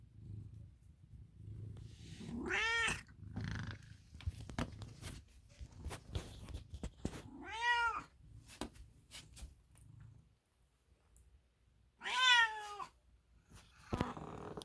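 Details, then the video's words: American Ringtail cat Milo gives three clear, wavering meows spaced several seconds apart over a fading low purr, with scattered clicks and handling noises between calls. "Snoring To Purring To Meowing! Oh Milo!!"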